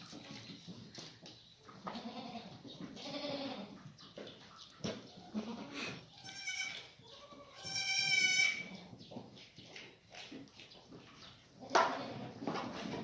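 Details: Black goats settled into a new maternity pen on a farm in Gimhae, South Korea, 28 February 2019; a few wavering harmonic bleats rise from a steady background of rustling and farm noise, the loudest near the middle.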